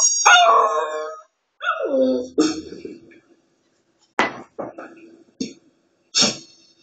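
A small dog, a Shih Tzu, 'sings' with long, quavering howls that bend down in pitch. Briefer yelps and whimpering notes follow in short bursts with pauses between.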